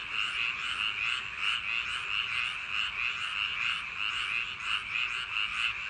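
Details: Paddy-field frogs on a summer night give a massed chorus of croaks. Louder pulses stand out roughly one and a half times per second above the constant background of other callers.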